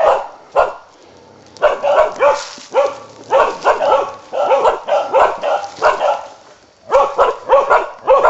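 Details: Karelian bear dog on a wild boar hunt, giving rapid, ragged barks in clustered bursts, about two per second, with short quiet gaps near the start and again just before the end.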